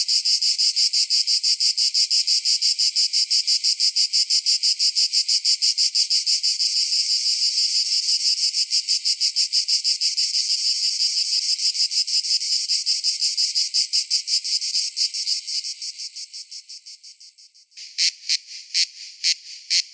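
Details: Cicada singing a dense, rapidly pulsed shrill buzz that fades out after about fifteen seconds. A few separate, clipped high pulses follow near the end.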